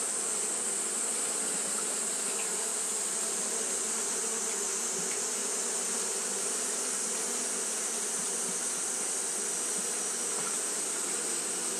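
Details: Japanese honey bees fanning continuously on a hot day: a steady, dense droning hum with low buzzing bands and a bright high hiss running unbroken throughout, with no pauses or other clear sounds.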